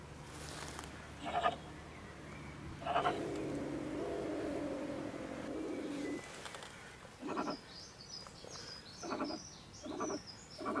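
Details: Female stone marten (beech marten) living in a woodpile beside a shed in Germany, ranting about 10 pm at night: a few harsh rasping cries, a long low droning tone, then a quick run of raspy bursts.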